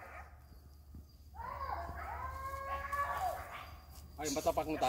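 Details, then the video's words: Hunting village dogs giving long, wavering baying howls while pursuing wild boar in Indonesia, several voices overlapping in drawn-out cries, with a burst of sharper barks at the end and background noise. "SUARA ANJING KAMPUNG - BANYAK BANGET BABI NYA KEJARAN BERHAMBURAN - BERBURU BABI"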